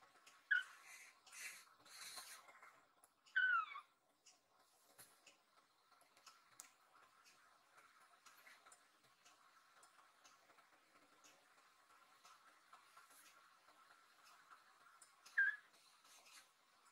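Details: Rescued kitten Nan-chan, worried about its owner lying on a sofa, gives three short, high, falling meows, two close together at the start and one near the end, amid quiet indoor rustling.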